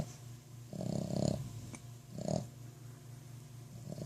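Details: A sleeping Boston Terrier named Roxanne snores: two rough, rattling snorts about a second apart, the first longer, over a constant low hum indoors.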